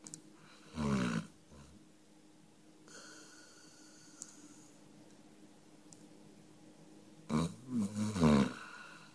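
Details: A sleeping dog named Number Five gives two separate snoring bursts several seconds apart. Each is a throaty, pulsing rumble, and the second is longer and wavering. Near-silent indoor background with faint small noises between them.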